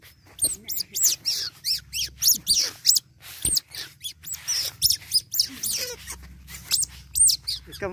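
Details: Baby otter during bath time, squeaking almost nonstop: dense, piercing chirps arching up and down in quick bursts, some overlapping. A faint low hum runs underneath.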